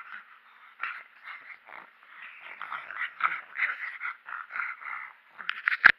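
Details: Angry pug named Mechan, deliberately provoked, producing a run of raspy, grumbling growls in quick pulses about every half second, ending in a sharp louder snort.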